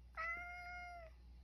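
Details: Male rescue cat Sacchan, living indoors at Kazeno Kobo with an elderly woman, meows around 6 p.m. when asked the time, as dinner nears; a single steady harmonic meow lasting about one second, in a quiet room.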